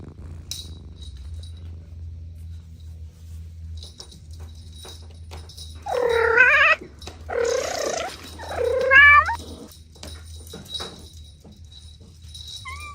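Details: Three quick, quavering cat meows in a cluster midway through, amid play between kittens, their mother and two siblings; a faint steady high tone and low hum sit underneath.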